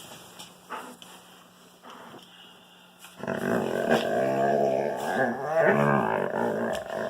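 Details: Wolfdog playing with a Kangal puppy: after quiet scuffling, a long, loud, throaty growl starts and runs continuously for about four seconds, wavering in pitch and roughness like a snarling roar.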